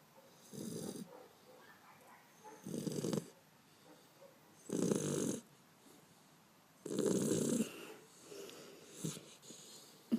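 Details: Bender, a Beagle puppy, sleeping on 5 February 2012: five rough, rasping snores, each under a second long, come about every two seconds, with quiet breathing between them.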